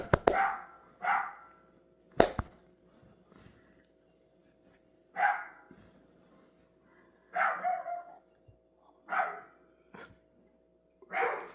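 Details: Dogs barking in rough, hoarse single barks, about seven spaced a second or more apart, with sharp clicking knocks and a faint steady hum between them.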